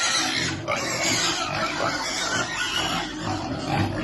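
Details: Baby piglet waiting to eat while being fed. Rough, noisy grunting and squeals run through the whole recording over a dense, broadband background.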